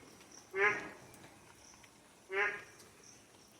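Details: A frog calls from a small low spot where rainwater has pooled, on a rainy monsoon morning around 6:20, giving two short, rasping, quack-like croaks spaced about two seconds apart; it began calling the previous evening when heavy rain started.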